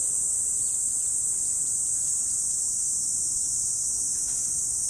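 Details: Autumn morning insects give a continuous, very high buzzing trill that holds steady throughout, a constant shrill wash with a few faint clicks underneath.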